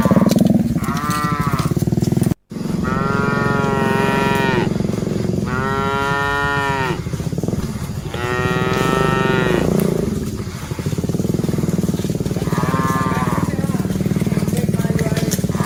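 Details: A herd of dozens of cattle driven along; a series of separate lowing calls, each a rich moo of one to two seconds with gaps between, backed by continuous low mechanical rumbling.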